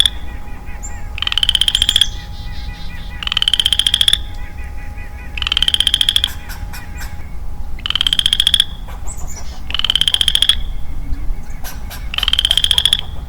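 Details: A lone male Western Chorus Frog calls in early-spring woodland: six short, rising, ratcheting trills, each close to a second long, repeated roughly every two seconds, with faint clicks and a low background rumble.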